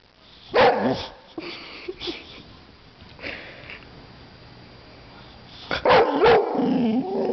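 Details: Young female white Boxer, one year old, playfully attacking a can of compressed air; two loud barking bursts separated by several seconds of quiet background.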